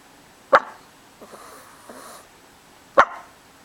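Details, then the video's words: Gucci, a small 11.5-year-old pet dog with an upset stomach, hiccuping indoors: two short, sharp bark-like hiccups about two and a half seconds apart, with faint soft sounds between them in a quiet room. "My Dog Gucci w/the hiccups."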